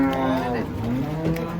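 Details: Cattle coming down from a truck at a market give a short moo that bends down in pitch, then levels out low. Background music and voices are mixed in.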